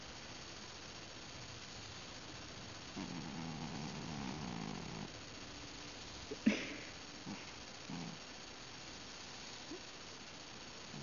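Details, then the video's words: Ben, a house cat on the verge of sleep, makes a drawn-out low grunting moan of about two seconds, then a sharp click and a few faint short grunts while being stroked indoors. "This Cat is SNORING? ...Mumbling? ...Something? Weird."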